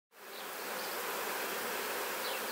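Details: Honey bees at an apiary, a dense continuous buzzing hum that swells in within the first half second and holds steady throughout.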